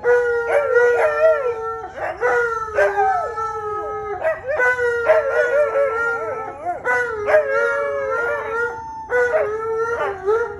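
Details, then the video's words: Alaskan Malamute giving long howls in overlapping, sustained tones that waver and slide, restarting every couple of seconds with sharp onsets, continuing steadily throughout. "The Longest Howls"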